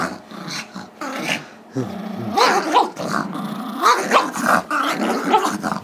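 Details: Gizmo, a five-year-old Chihuahua/Yorkie mix, growls and barks while tugging with his younger Yorkie brother Tigger over a squeaky toy, Feb 10, 2011; rapid rough barks over continuous growling, with a person's voice and laughter nearby.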